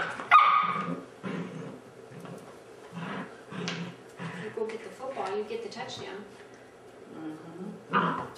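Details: Airedale Terrier puppies, Oorang or Mountain Airedales, playing football indoors; a series of short barks and yips, some whiny, spaced about a second apart, with a louder bark near the end and a person talking to them between.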